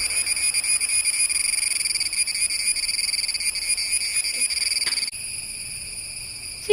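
A cicada gives a steady, shrill, buzzing whine that holds on one high pitch throughout.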